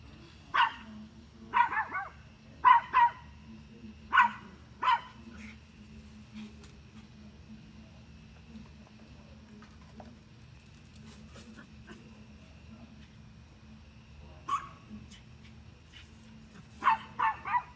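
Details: Dog barking at deer: repeated sharp double barks in a run, about one burst a second for five seconds, then a long pause and more barks near the end; steady low hum underneath.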